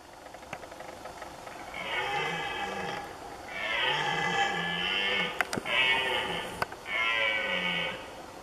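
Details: Red deer stags roaring during the 2019 rut in Poland: four drawn-out, harmonic-rich calls of one to one and a half seconds each, with brief pauses between them and a couple of sharp clicks in between.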